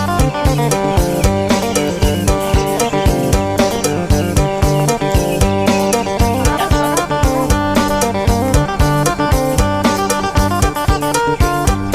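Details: Loud, steady band music with plucked guitar and a regular drum beat fills the whole stretch, with no animal sound audible.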